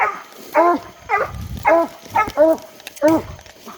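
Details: English Coonhounds coon hunting on a hot summer night, giving repeated harmonic bays with a falling bend, about one every half second; a man's voice murmurs faintly in between and a steady insect tone hums high above.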